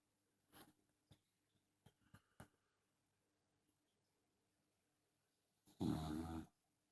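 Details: A Dachshund snores loudly in a quiet room. Soft clicks and puffs of breath come first, then after a long pause a single strong, gravelly snore of nearly a second, deep and raspy.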